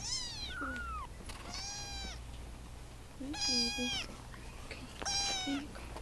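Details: Several baby Russian Blue kittens being socialized at a volunteer shelter, hungry and greedy; high, drawn-out meows with falling tails, four main cries over six seconds, a low steady hum beneath.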